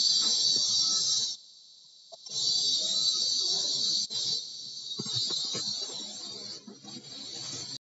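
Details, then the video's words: A high buzzing cicada drone, kuliglig in Tagalog, heard through a bedroom window. It cuts out for about a second, then resumes with small swells, among scattered knocks and low household noise. "SCARY SOUND OF CICADAS OR KULIGLIG"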